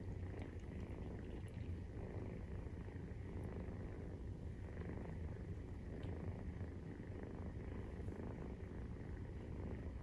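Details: Continuous deep purring from a Maine Coon cat at nursing time, with a 43-day-old kitten; an even, low rumble without pause, and only slight scattered ticks overhead.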